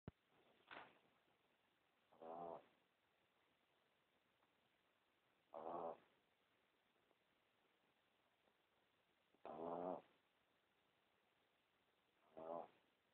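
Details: Pomeranian, a small dog, snoring loudly, recorded on a cell phone: short nasal, harmonic snorts about every two to four seconds, five in all, with quiet hiss between them.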